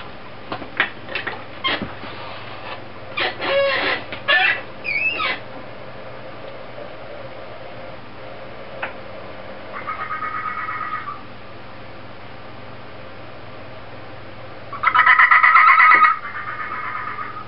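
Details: Fennec fox named Inari giving an odd noise: scattered short knocks and squeaks early on, then two pulsed, buzzy tonal bursts, the second louder and longer, against a constant low hum.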